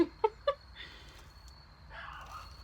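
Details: A young male Shih Tzu on a porch gives three quick, high, yappy barks at a neighbour's black lab walking by.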